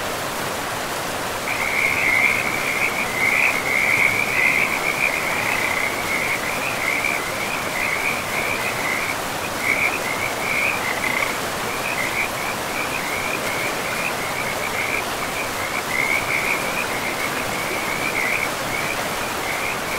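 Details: Along a river in pristine moss-covered forest, frogs keep up a rapid pulsed high trill, loudest early on and then steady with brief pauses, laid over a constant wash of river noise.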